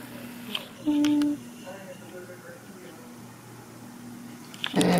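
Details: A blue merle Border Collie named Zoey, aged one and a half, begs her owner for attention with a single clear, steady, high whine of about half a second, followed by quiet room sound and a brief rustle.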